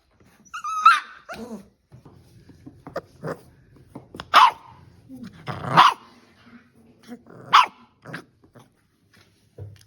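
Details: Playing Staffordshire bull terrier puppies give four sharp, high barks roughly one to two seconds apart, mixed with small grunts, yelps and the thumps and scrapes of rough play.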